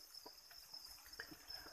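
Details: Crickets kept on a farm and fed chick feed produce a continuous shrill, even-pitched trill, with faint rustles, light taps and a brief murmur of background noise beneath it.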